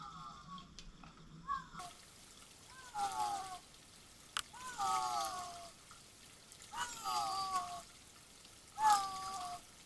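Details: A bobcat wearing a GPS collar, caught on a woodland trail camera, gives short, falling, wailing calls about every two seconds over trickling water.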